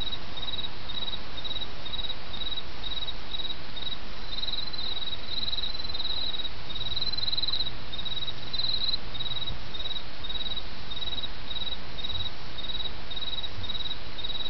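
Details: Several autumn insects calling in Japan over the murmur of a small stream, with high rapid chirps in regular pulses, overlapping callers at slightly different pitches, and a steady watery hiss beneath.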